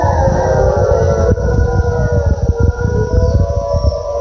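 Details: Gray wolves howling back in a British Columbia forest, Canada, in spring 2020 after calls were made where a lone black wolf sat; a chorus of sustained, slightly wavering howls layered together, with constant low rumbling noise underneath.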